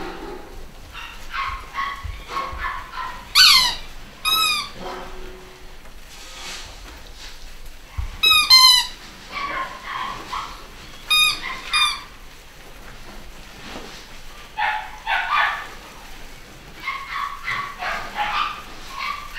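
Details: Litter of pedigree Basset Hound puppies at a breeder in the UK: high, rapid squeaky yelps in short bursts with fast chirping trills, among softer whines and whimpers scattered throughout, with light indoor background rustle.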